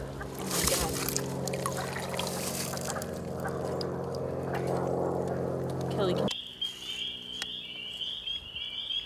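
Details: Spring peepers at a vernal pool on April 12, 2015, where a mating pair was found among thousands of peepers. Loud handling noise and voices come first, then a dense, shrill, high pulsing chorus of peeps takes over.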